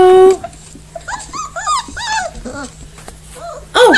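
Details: Four-week-old puppies giving a run of short, thin, arched squeaks and whimpers, several in quick succession, while a woman greets them in a soft voice; a brief steady tone opens and a louder squeal closes.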